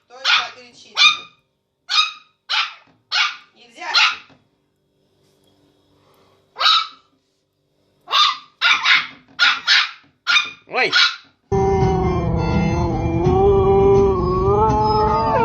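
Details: Dogs of different breeds making funny noises: a series of short sharp barks in bursts, a pause, then another run of rapid barks, ending with a sustained wavering howl-like sound.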